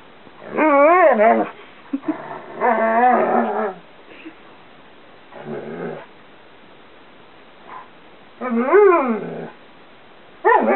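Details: Karelian Bear Dog/Alaskan Malamute cross named Chewy, female, 2 1/2 years old, vocalizing during a bedroom game: wavering, rising-and-falling woos and rough grumbly talk in several bouts across the stretch.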